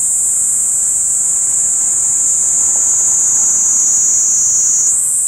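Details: Tokyo, 17 July 2021, CX430V camcorder: a Kaempfer cicada gives a loud, piercing, even buzz that holds steady without pause, with nothing else clearly heard.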